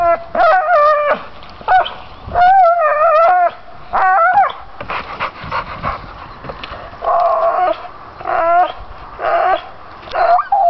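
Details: A pit bull persistently chewing low pine branches whimpers in drawn-out nasal whines with sharp upward yelps, repeated in bursts between quieter gnawing pauses.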